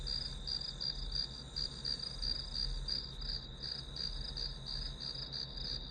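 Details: Grass insects trilling as background for studying, presented as white noise: high pulsed chirps repeating about three per second, slightly blurred in places, above a persistent high tone and low humming noise.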